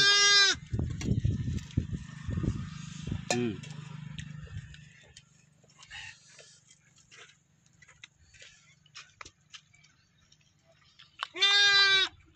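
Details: One-day-old lambs in a village: a bleat opens and another closes a stretch of low rumbling, handling noise and faint clicks.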